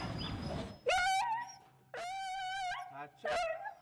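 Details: Very small puppy found wandering near a farm gate, apparently abandoned and scared: three high, thin whining whimpers with steady tone, each lasting about a third to nearly a second, after a brief murmur of speech.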